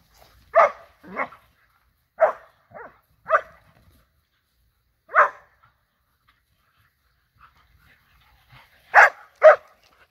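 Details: Borzoi at play alongside a Golden Retriever and a Poodle, giving an irregular series of short yipping barks, some paired, with longer pauses between, a quick double bark closing the sequence; no other clear sounds.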